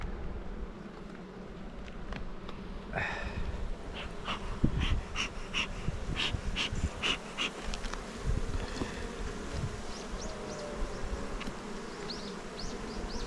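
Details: Honey bees at a hive kept by a beekeeper on Jirisan, Korea, during a frame-by-frame inspection as comb is built: a steady low droning hum throughout, with scattered sharp clicks and knocks of handling and brief high chirps late on.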